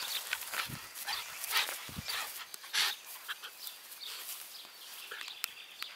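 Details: A four-month-old Staffordshire bull terrier puppy at play gives short, scattered yips and squeaky bursts against a hissy background.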